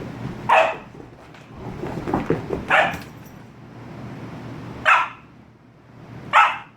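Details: An 18-week-old German Shepherd-Husky mix puppy throws a tantrum after a bath, giving four sharp, loud barks spaced about two seconds apart, with softer grumbling vocal sounds between them and a woman's soothing voice nearby.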